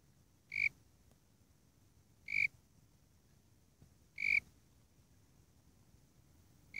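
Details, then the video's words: Eurygryllodes warrilla, the Warrilla imposter cricket, giving its call: brief ringing high-pitched pulses, three full ones and a fourth starting at the end, separated by pauses near 1.8 seconds, with soft low rumble underneath. "Warilla Imposter (Eurygryllodes warrilla) (?) Calling"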